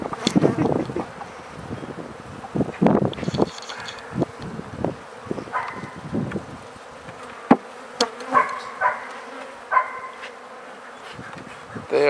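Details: Swarming honey bees around new hives being set up and filled; a steady low buzz runs beneath frequent knocks and bumps, with short tonal sounds appearing toward the end.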